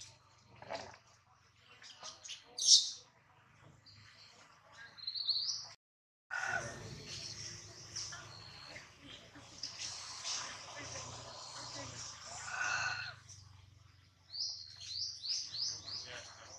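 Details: Baby monkey Adler, hungry and missing his mother, held in the hands of a small monkey, gives short high squealing cries, a few early on and then a quick run of rising squeals near the end, amid rustling and handling noise.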